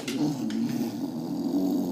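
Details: English Bulldog Billie, a female pet indoors, excited before her daily sponge cleaning. She gives a steady, nasal, mid-pitched whine held for two seconds with slight wavering, plus a brief rustle near the start.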